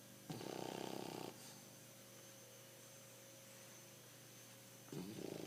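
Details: Pancho the bulldog snoring indoors: a rough, rapidly pulsed rasp lasting about a second, then a long quiet stretch before the next snore begins near the end.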